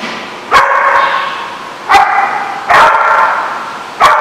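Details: Dog barking with loud, sharp, harmonic barks, four in about four seconds, each sustained and slightly wavering, over a steady background hum.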